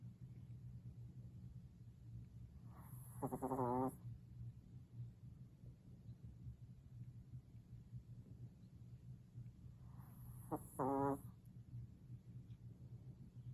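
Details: Maltese dog named Kira snoring while sleeping comfortably; two short raspy rattling snore bursts several seconds apart, each under a second, over a steady low hum.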